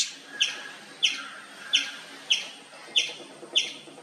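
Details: An Indian palm squirrel keeps up its loud chirping with sharp, high, downward-flicking notes spaced about two-thirds of a second apart. Six calls sound in a slower, steady rhythm against low background noise.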